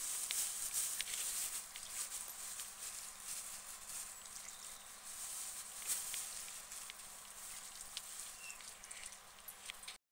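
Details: Lettuce being eaten by guinea pigs: rapid, uneven crunching and crisp tearing clicks, louder at the start and fading slightly, over steady low hiss.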